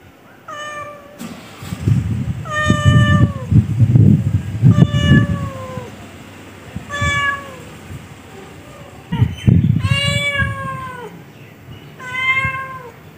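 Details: Pet cat calling repeatedly with short, bending meows every second or two, some rising then falling, while heavy low-frequency rumble and handling noise fill the gaps.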